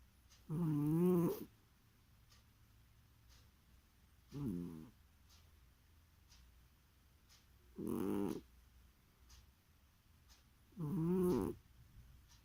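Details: Domestic cat snoring in its sleep, four drawn-out harmonic rasps spaced about three to four seconds apart, each roughly a second long, with quiet breathing pauses and faint ticking between them indoors.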